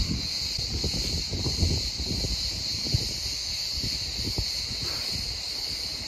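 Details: Cicadas singing at the ancient archaeological ruins on Kos, Greece, among columns toppled by the 2017 earthquake: a steady, shrill, unbroken high buzz fills the whole clip, over low wind rumble and a few soft thumps.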